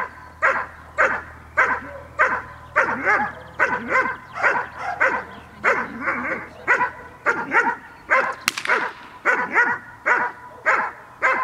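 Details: Dog barking during a training session recorded on 5 May 2015, giving loud, sharp barks in a steady series of about two per second, with a brief broadband clatter midway.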